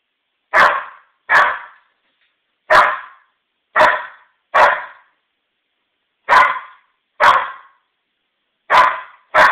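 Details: Maisie, an 8-month-old female Old English Sheepdog puppy, barks at a stem of lilies brought indoors from the backyard, trying to protect her family; nine sharp, separate barks come in irregular bursts with silent gaps between.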